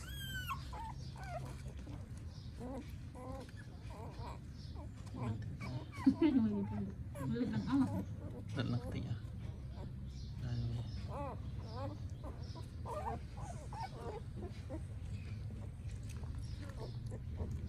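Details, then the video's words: Puppy, newborn, crying in Cambodia on a phone recording: many quick, thin whimpers and squeaks in irregular bursts, fairly soft, over constant low hum with occasional voices. "Newborn Puppy Crying Loudly"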